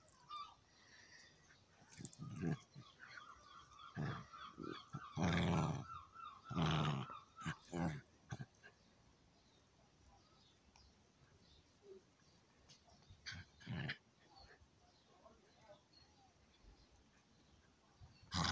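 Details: Chihuahua and an old dog at play, giving short low growls and scuffling bursts clustered in the first eight seconds, then mostly quiet with scattered brief noises and a final sharp sound.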